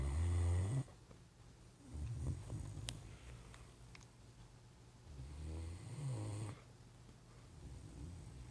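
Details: Great Dane sleeping on a couch indoors gives a run of deep, rumbling snores, three loud bursts spaced about two to three seconds apart, with quieter breathing and a few faint clicks in between.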